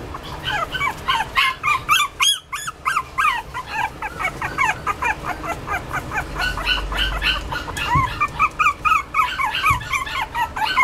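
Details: Toy Poodle producing a long, busy stream of squeaky, rapidly wavering whines and short yips, almost four per second, with a brief clatter near the start and a soft thud later.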